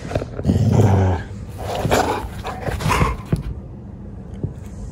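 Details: Treeing Walker Coonhound during hunting-style play, reacting seriously: rough low growls and barks in bursts over the first three and a half seconds, fading to quieter huffs near the end.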